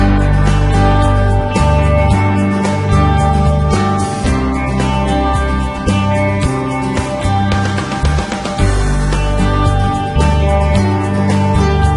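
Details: Loud, steady guitar-led country-style music fills the whole stretch, with no barking, whining or other animal voice audible above it.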